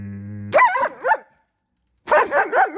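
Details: Ten-month-old German Shepherd puppy in training, reacting to a trainer's hand placed down: two bursts of sharp, harmonic barks with arching pitch, a first pair then a quick triple after a pause, preceded by a low steady hum.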